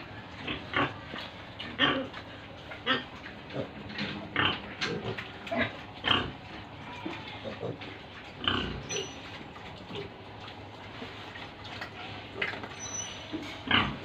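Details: Pigs and piglets on a pig farm in Tripura, heard in short, rough grunting bursts repeating roughly every second, some rising into brief squeals, with a steady background hum of the farm.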